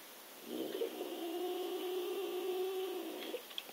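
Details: Cat called Zip or Mei Mei, reluctant to leave a laptop perch, gives a soft, sustained, steady-pitched moaning meow lasting almost three seconds in a quiet indoor room.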